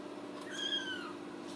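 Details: One high, clear meow from a Ragdoll kitten, born and raised in a home cattery in central Kansas, drawn out for about half a second and sliding gently downward, against a faint constant indoor hum.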